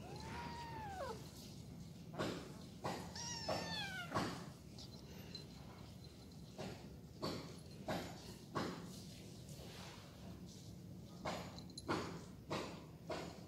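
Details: Household cats, grey Gembil and Gembul with a little orange cat, playing rough while the small one is bullied. Two meows, a long falling cry and then a shorter wavering one, followed by repeated thuds and scrambling.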